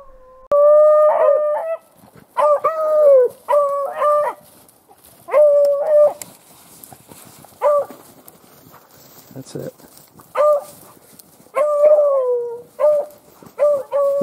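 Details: Beagles on a February rabbit hunt in upstate New York give loud, drawn-out bawling bays in irregular bursts, each a wavering howl that bends at the end, with short pauses and a faint voice between.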